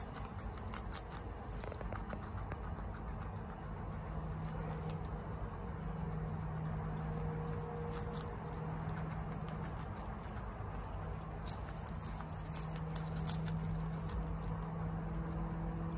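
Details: Chia, a female pet guinea pig at home, eating bok choy very fast: dense runs of sharp crisp crunches and munching clicks throughout, over a steady low hum.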